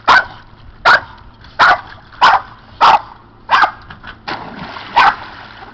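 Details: Boston terriers playing in a pool, jumping in for toys; sharp barks repeated roughly every 0.7 seconds, seven or eight in a row, with a faint splash between them.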